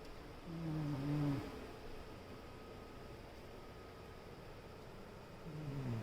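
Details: Raccoon named Nawty, a female, sleeping soundly and snoring loudly; two low, rough, rasping snores with falling pitch, one near the start and another at the end, separated by quiet breathing and faint room hum.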